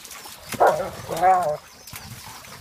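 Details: German Shepherds playing in a pool give two short harmonic vocal bursts about half a second apart, mid-pitched and slightly whining, over faint splashing and background noise.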